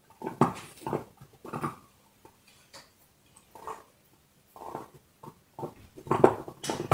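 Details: Loud, close crunching as a dog chews a bone inside a small room; sharp cracking bites come in bursts separated by quiet pauses, growing heavier and denser toward the end.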